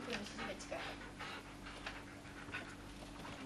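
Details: Siberian Husky Alice greets from the dining table, panting in quick, soft, breathy bursts about twice a second over a steady low electrical hum.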